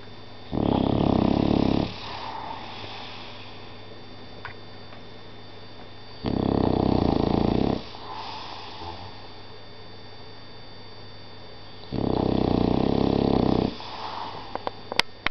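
An English Bulldog snores loudly, each rasping breath lasting over a second, with quiet pauses between.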